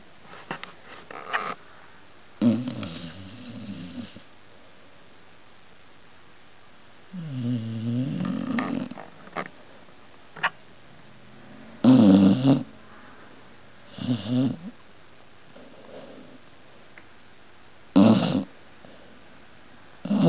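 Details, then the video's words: Pit bull dog sleeping and snoring indoors: rough, rasping snore bursts at irregular intervals, some low and rumbling, others sharper and noisier, with quiet pauses between breaths. "funny pit bull snoring"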